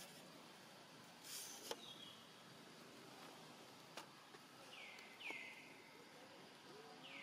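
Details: Lonely young monkey Rainbow calls out for its family while hungry: a few brief downward-sliding whistled cries, two close together near the end and one more cut off, above a background of rustling and faint outdoor noise.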